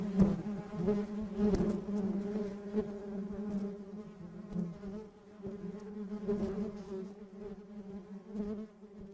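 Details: A steady low drone of many bees in a colony, fairly soft, with light fluctuations in volume and a few faint clicks.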